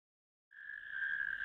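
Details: Natterjack toads in a ditch, recorded 1 May 2024: a loud, sustained rattling trill on one even pitch, starting abruptly and holding about a second without a break, nothing else heard.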